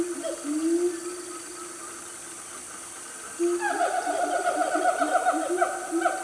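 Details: Loud wild siamang family in Gunung Nuang forest, Selangor, Malaysia, around 10 am on a cool morning: long drawn low hoots, a pause, then a burst of rapid overlapping harmonic notes that fill the second half.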